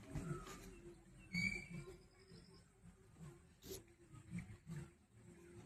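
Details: Village farm cattle, a big mother cow kept with her calf. Low, harmonic mooing comes in several short pulses across about six seconds, with people talking nearby.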